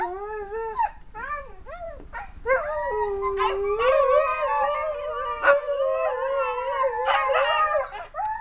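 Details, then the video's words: Several dogs howling together, August 2010: wavering, arching tonal howls that overlap and rise and fall, with sharp yips and barks cutting in through the chorus. "Dogs Howling"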